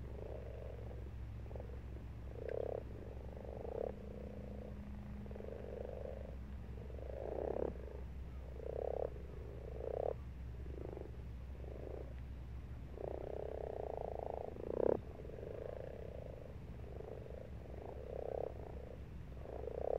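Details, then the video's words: Frogs croaking in a garden pond in March, a chorus of low purring croaks overlapping in bursts of one to two seconds, swelling and fading throughout, with a steady low hum underneath. "Croaking Frogs"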